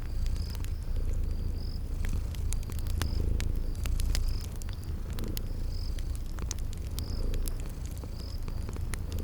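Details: Deep, even purring of sleeping kitties by a crackling fire, spring garden ambience; low pulsing rumble carries steadily while quick crackles pop and a cricket trills in short high bursts.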